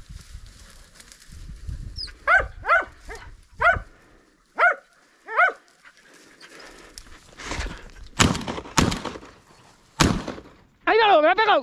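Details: Podenco pack, Los Perjuicillos, out on a hunt giving five sharp, ringing yelps in a quick uneven series, then dull knocks and thuds, ending in one long wavering, quavering yelp.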